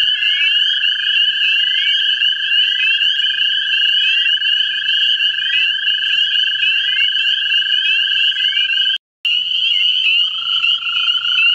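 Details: Mate-seeking American toads in a vernal pool in central Ohio give a sustained monotone trill for about nine seconds. After a short gap the trill resumes slightly lower. Above it runs a busy layer of rising, chirping frog notes.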